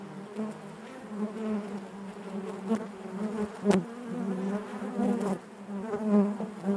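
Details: Honey bees buzzing inside their hive, a dense steady drone with a low fundamental and stacked harmonics, swelling and fading, with a few sharp clicks and knocks near the middle.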